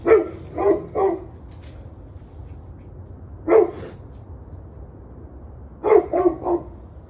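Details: Dog barks recorded 21 November 2023, 7:06 pm: three quick barks, a pause, one lone bark, then another run of three close barks, with a faint low rumble underneath.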